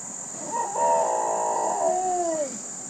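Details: Chocolate Labrador Retriever in full howl: one sustained, quavering howl of about two seconds that slides downward at the end, over a constant high-pitched electronic whine.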